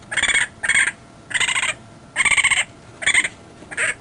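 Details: Raccoon calling in a series of six harsh, raspy bursts, each about half a second long with rough, buzzy, stacked overtones, separated by short pauses.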